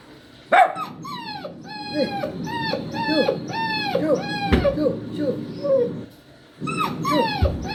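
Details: Poodle puppy crying in a rapid series of short, sharply falling whimpers, about two per second, with a brief pause before a few more yelps at the end.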